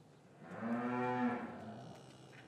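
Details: Cattle lowing in an English cattle yard on a winter afternoon, calves separated from their mothers, recorded with a matched microphone pair; one smooth, harmonic moo swelling and fading over about a second, with faint yard noise behind.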